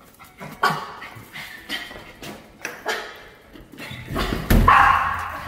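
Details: Pet dog in a home with several dogs, timid and in training for false barking; sharp bark bursts repeat roughly once a second, growing louder and denser toward the end with a brief tonal whine.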